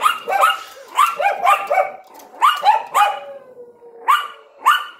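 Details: Yorkshire Terrier with a Lhasa Apso barking in the window, yapping rapidly in overlapping, excited bursts about twice a second, with a thin drawn-out whine between barks and a few final isolated yaps.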